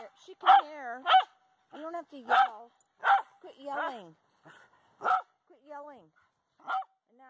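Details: Dogs named Brooks and Mill playing tag at a dog park, giving sharp repeated barks and yips, several with rising-falling whiny harmonics, in irregular bursts roughly every half to one second, with a person's voice faintly in the background.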